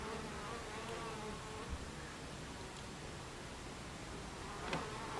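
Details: Buckfast bees droning steadily at their beehive entrance, 26 July 2013, 14:30; wingbeat hum rises and falls slightly as individual bees pass close, with a brief louder fly-by near the end.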